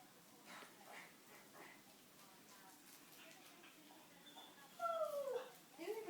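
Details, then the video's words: Pet dog crying because she wants a chew after her morning walk; faint household sounds and soft talk, then two clear high whining tones sliding downward near the end. "Crying dog"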